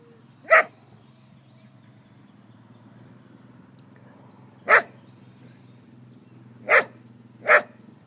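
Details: Border collie named Daisy, eager to herd foals, giving four sharp single barks: one early, then a long pause before three more at shorter, uneven gaps, over a faint low steady hum.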